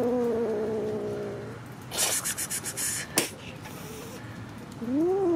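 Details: Kitten meowing: a drawn-out, slightly wavering meow in the first second and a half, a burst of rustling and clicks, then a short rising-falling meow at the end.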